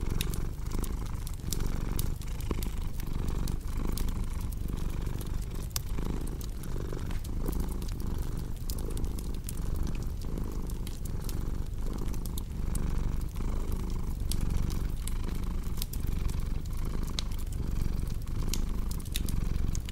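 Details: Sustained purring from a pet cat, a low vibrating hum rising and falling in regular breath-paced waves for twenty seconds, accompanied by continual crackling and popping from a wood fire.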